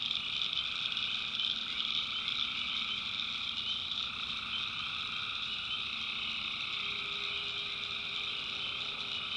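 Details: Tree frogs at night in North Carolina backwoods, massed high trilling calls running without break in layered bands, a soft steady low tone appearing in the second half.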